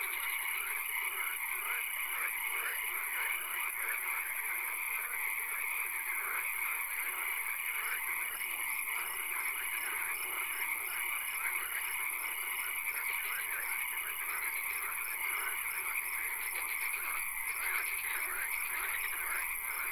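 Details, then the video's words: Frogs in a night swamp, occasional rain: crowded rattling croaks from many callers overlap throughout, while evenly spaced dashed notes repeat for much of the stretch over a constant high hiss. "Frog Swamp - Ambience ASMR - 3 Hours - Frog Calls, Swamp Sounds and Occasional Rain"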